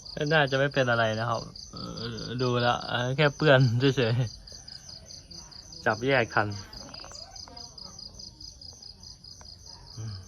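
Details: Pet cats that often fight among themselves: loud, low, wavering harmonic yowls and growls in close bursts through the first four seconds, another short yowl near six seconds, then quiet, with a steady high insect-like buzz throughout.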